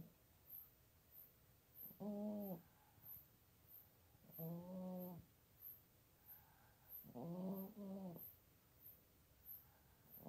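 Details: Sleeping female cat America, nearly 17, in her bed basket beside a PC in Toowoomba, Queensland, Australia, unedited recording: three tonal, buzzy snores roughly every two and a half seconds, each with a steady low hum and stacked overtones; faint rhythmic high ticking.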